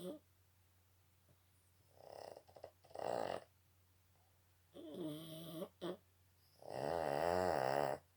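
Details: Snoring from a Boston Terrier, with several uneven bursts of noisy, wavering, voice-like rasping, the last long and strongest, separated by quiet pauses in a small indoor room.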